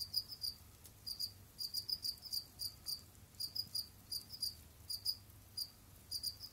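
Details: Pet Jamaican field crickets (Gryllus assimilis) moving about, digging and hunting in an enclosure. Short, bright chirps come in rapid groups of two to four, repeated steadily with brief pauses between groups.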